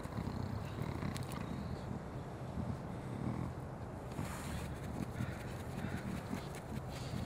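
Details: Collared peccary (Pecari tajacu), a curious animal with a constantly sniffing nose, gives a steady run of low, rumbling grunts, almost like a coarse purr.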